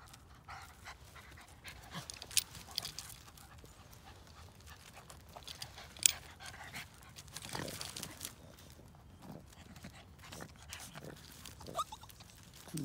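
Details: Luffy, a male Yorkipoo (Yorkshire terrier and toy poodle mix) born June 2020, weighing 8 lb, playing with his friend Girly at an off-leash park in Langley, BC, Canada; breathy panting bursts over soft rustling, with a few sharp clicks.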